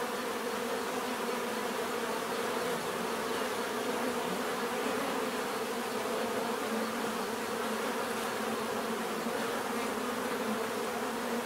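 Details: Natural bee buzzing: a thick, unbroken drone of many insects, steady and even throughout with layered humming tones and no pauses.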